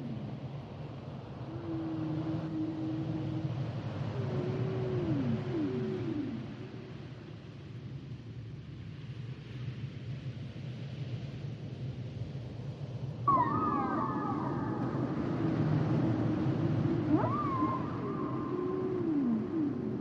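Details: Humpback whale song in two phrases: low wavering moans and downward swoops, a quiet pause, then louder higher moans with sudden upward yelps, all over a continuous deep underwater rumble.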